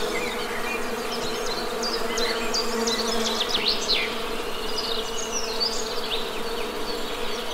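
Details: Honey bees humming in a steady, low drone with layered tones, while high bird chirps and short trills flicker above throughout.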